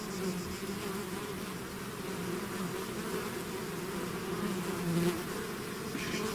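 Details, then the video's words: A swarm of bees pouring from the hive, heard as a loud continuous buzzing with wavering low tones as individual insects fly close, growing slightly louder around the fifth second. "bees therapy swarm natural buzzing sound"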